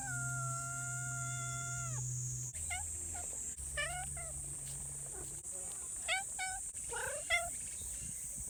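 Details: Friendly community cats: a steady, even electronic-sounding tone plays first, then a series of short, bent meows with a constant high whine in the background.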